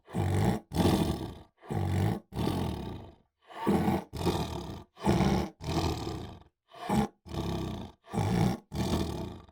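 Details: A tiger (Panthera tigris) gives a run of deep, rasping roars, each lasting under a second.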